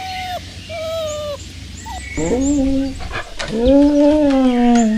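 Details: Puppy playing outdoors on green grass: a series of high, tonal whimpers, first short and slightly falling, then a longer drawn-out whine that bends up and slowly sinks, with faint bird chirps in the background.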